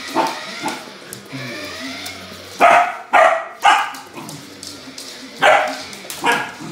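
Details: Samoyed dog barking excitedly while playing with a remote-control car: a series of abrupt, harsh barks at irregular intervals, roughly two per second at peaks, over a steady low background hum.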